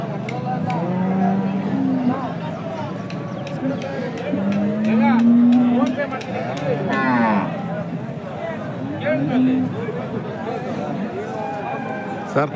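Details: Hallikar cattle at a temple cow market in India: repeated medium-length moos, some with a strained, bending pitch, scattered through constant talk, shouts and crowd noise.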